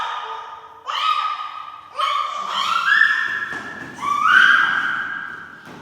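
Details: Human baby making noises: a run of drawn-out, tonal squeals and coos, each rising or wavering in pitch, with short pauses between bursts, in a quiet indoor setting.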